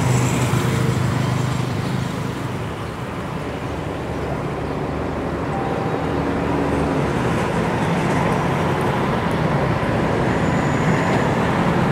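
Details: Steady roadway traffic fills the recording as a constant broad rumble and hiss, with no animal calls.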